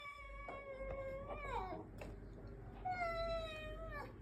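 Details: Street cats being fed call out with two drawn-out meows, the first wavering then dropping at the end, the second steadier and falling slightly; quiet background hum throughout.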